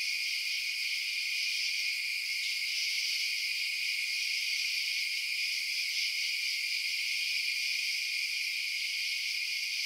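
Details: Steady nocturnal cricket chirping: a bright, high, ringing trill that swells very slightly at times but never stops, with no other sounds.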